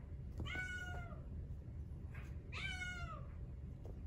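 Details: Two drawn-out, wavering mews, about two seconds apart, the second slightly louder, from a male Exotic Shorthair kitten with brown tabby and white coat, born 4/6/2021; a faint low hum underneath.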